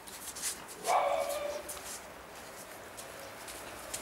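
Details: Lhasa Apso puppies from a co-operative breeding in Schleswig-Holstein, Germany: one sharp, bright yelp that slides down in pitch over about half a second, then quiet room noise with soft rustles.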